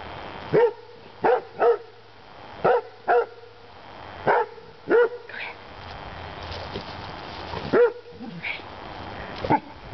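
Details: German Shorthaired Pointer mix in a backyard, barking at a birthday balloon that floated in: loud, clipped barks, often in pairs, roughly nine within ten seconds, over a steady low hum.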